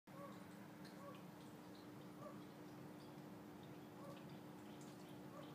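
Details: A hidden male fire-bellied toad calls to females with soft, short hooting notes, spaced irregularly.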